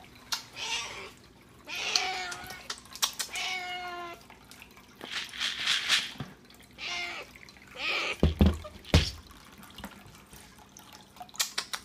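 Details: Exotic Shorthair cat; bark-like meow; asking for breakfast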